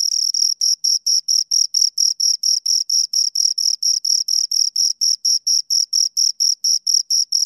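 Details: Chirping from two crickets recorded up close: bright, high, evenly spaced chirps about four per second, crisp and rhythmic with silent gaps between, nothing else audible.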